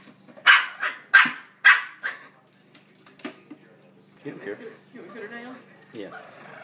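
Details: Shih Tzu dogs fighting indoors, a younger dog against an older, slower one: three loud sharp barks in quick succession, then quieter grumbling growls and muffled voices.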